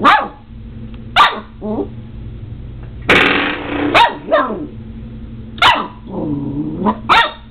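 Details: Seven-week-old Border Collie puppy indoors, battling a doorstop in play. Short sharp barks and yappy growls come in scattered bursts, with a loud rattling twang of the doorstop in the middle and a low steady hum underneath.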